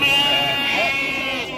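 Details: A single sustained, quavering bleat from a Garut sheep among breeding animals for sale at Pasar Andir in Bayongbong, Garut, with a faint murmur of voices behind it.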